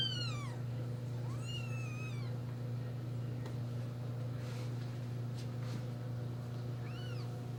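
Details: Newborn kittens, four days old, squabble over their mother while nursing; several high, arching squeaky mews sound early on, then quiet, then one more short mew near the end over a constant low electrical hum.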